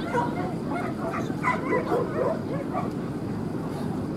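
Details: Barking from a male corgi puppy at the Lake Yamanaka dog show, 3 July 2016: quick, high yips in rapid bursts, several per second at the peak, over continuous background chatter and outdoor hubbub.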